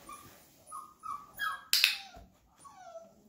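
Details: Flat-Coated Retriever puppy, 34 days old, during a first clicker introduction while being fed indoors: a few short high whines rising and falling, then a sharp clicker snap and softer drawn-out whimpers.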